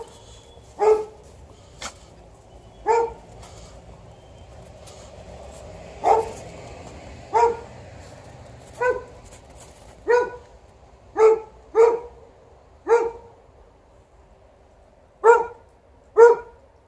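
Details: Alaskan Malamute, outside with a Golden Retriever and ignoring calls to come indoors, barks about a dozen times over seventeen seconds; the deep, even barks come roughly every second or two, with a soft background hum.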